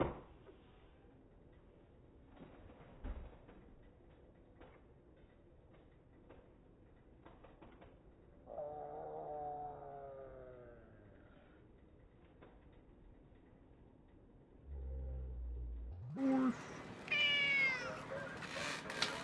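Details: Cat meowing indoors: a drawn-out, falling meow in the middle, then louder, higher, strained meows near the end, with scattered clicks, taps and low thumps in between.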